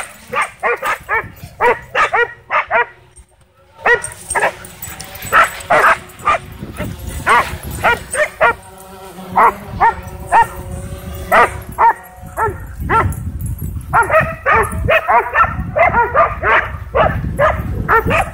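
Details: Several dogs chasing a DJI Mavic 2 drone at a dog park bark excitedly in dense, irregular bursts, with a brief pause before the barking resumes; faint music and a steady drone hum sit underneath.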